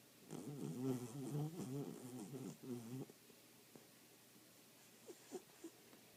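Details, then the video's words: Scout, a sleeping dog, snoring indoors: a rough, rattling, low-pitched snore with a rapid fluttering pulse lasts about three seconds, then fades to quiet room noise broken by a few soft clicks. "Sleeping snoring Scout"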